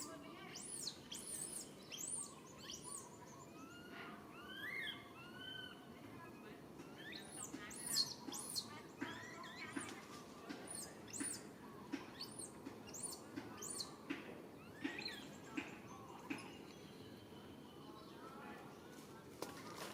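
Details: Young monkey crying out for its mother's help, a mix of shrill arching screeches and lower, shorter coo-like calls, coming in irregular bursts across the recording over steady background hiss.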